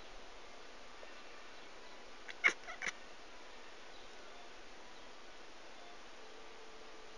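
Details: Domestic cat named Connor making cute little noises: two short, quick chirping calls half a second apart near the middle, otherwise quiet indoor background.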